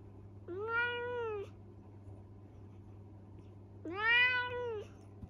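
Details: Mischievous young male Minuet cat mumbling excuses after a telling-off: two whiny, arched meows about three seconds apart, the second louder and slightly longer, with a constant low hum underneath.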